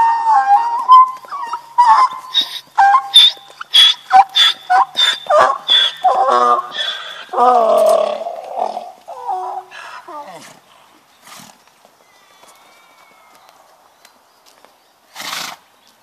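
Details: A very loud, vocal male donkey kept alongside horses, braying as he does every hour or so. Harsh see-sawing hee-haw pulses repeat about once a second for eight seconds, then fade into quieter wheezes, with one last short burst.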